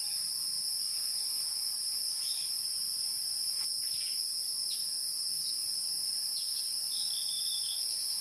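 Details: Wild insects in a natural setting: a steady, unbroken high-pitched ringing drone in two bright bands lasts the whole recording. Faint short chirps and brief rising squeaks flicker above it now and then.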